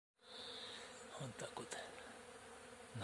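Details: Many bees buzz together in a steady, droning hum while collecting nectar over flowering acacia on a sunny early-summer day, with a few brief louder sounds mid-way; a stag beetle was also flying nearby in daytime.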